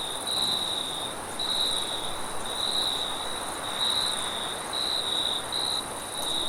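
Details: Crickets at night in a forest, a high shrill trill swelling in pulses roughly once a second over a steady higher hiss, with soft rushing wind filling the background.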